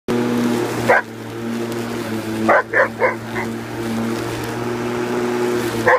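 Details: Alaskan malamute attacking a lawn mower, giving a short bark, then a quick run of three or four barks, and another at the end, over the steady droning hum of the running mower.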